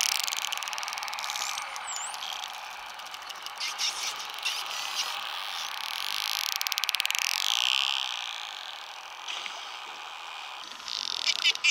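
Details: Friendly spotted dolphins in a wild pod in the Bahamas, recorded underwater: looping, rising and falling whistles sweep high, over dense trains of rapid clicks that buzz in bursts, with a steady underwater hum beneath.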